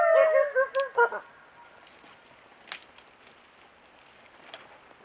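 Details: Group of coyotes greeting each other before playing chase: about one second of high, wavering yips and whines with a harmonic stack, repeated in quick pulses, followed by quiet background with faint clicks.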